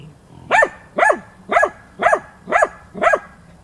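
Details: Female hunting dog Tina persistently bays at young wild boar in training, March 2013: six sharp, ringing barks spaced evenly about every half second, steady and insistent.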